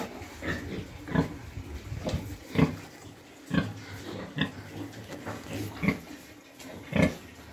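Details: Sow that has just farrowed, in a pen with her piglets during the cold season, giving short low grunts roughly every second or so, irregularly spaced, with a steady background hum.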